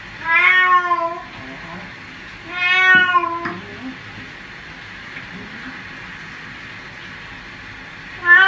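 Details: Domestic cat meowing while being given a bath: two loud, drawn-out, slightly falling meows about two seconds apart, then a third starting at the end, over steady background hiss and faint handling noises.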